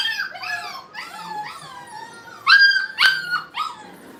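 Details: ['Brittany puppies playtime at a kennel: a series of descending, tonal whines, then two louder, sharper yelps with a faint howling quality, followed by a softer closing whine.']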